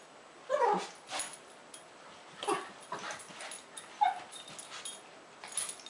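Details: Two Lhasa Apsos, Zac and Zoe, play fighting; short yips and whimpering growls burst out in clusters about every second or two, with scuffling rustles between them.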